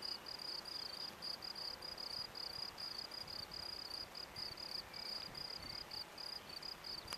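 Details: Field cricket (Gryllus campestris) singing at a sports field in Brasschaat, Belgium, a habitat since destroyed: steady high shrill trills broken into short pulses about twice a second, continuing throughout over a faint low rumble.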